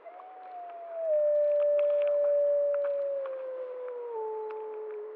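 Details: Prospect Peak gray wolf pack howls before dawn on 10 October 2014 near Blacktail Ponds, drawn by a bison carcass, possibly answering a distant lone wolf: a long, smooth howl slowly sliding downward in pitch.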